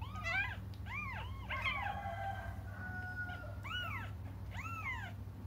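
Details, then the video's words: Cats crying as they wait for their mother come through as clear, bent mewing calls in pairs and clusters, with a longer drawn-out cry midway, all over a constant low droning hum. "until their mom comes just stop crying"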